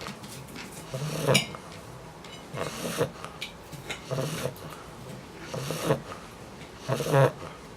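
An English Bulldog puppy snores in low, rasping bursts about every one and a half seconds.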